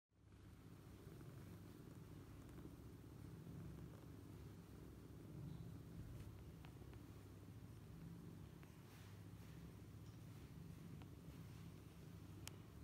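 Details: Domestic cat, a mother curled around her kittens and sleeping soundly, purring in a steady, low, continuous rumble with even pulses; faint soft clicks and rustles now and then over a quiet indoor background.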